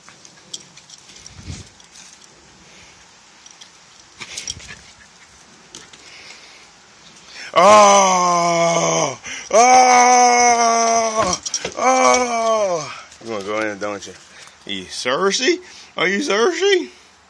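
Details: Angry toy poodle, described as pretty pissed off. After several quiet seconds of faint knocks, long wavering, moaning vocal outbursts begin around the eighth second and repeat in quick succession, ending in shorter rising-and-falling yelping grumbles.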